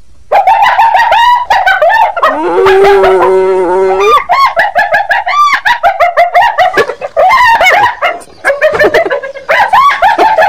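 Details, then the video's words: Rapid cackling hyena laughter of quick staccato yelps, with a lower drawn-out moaning note around the middle before the chattering giggles resume. "Ternyata Seperti ini Suara HYENA"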